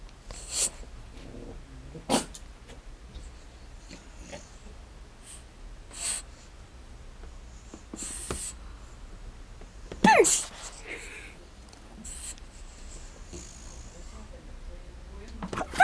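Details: An 11-month-old French Bulldog playing peekaboo gives short, scattered snorts and huffs, with heavy breathing between them in a quiet room.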